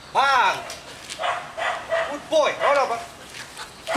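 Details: Twelve-month-old male Belgian Malinois giving short, high, arching yelps with clear harmonics, a burst near the start and a double yelp around the middle, with softer sounds between and human voices alongside.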